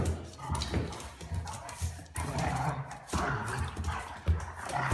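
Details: Weimaraner puppy teasing and provoking an adult Weimaraner until it gets mad; steady, loud, low throaty growls with rumbling tones pulse repeatedly, mixed with rustling and scuffling.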